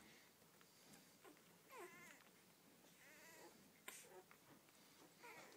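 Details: Newborn Rhodesian Ridgeback puppies from their mother's first litter of twelve give thin, squeaky whines. The calls come in short wavering bursts that bend up and down, scattered through the clip over a soft background hiss, with a sharp click near the middle.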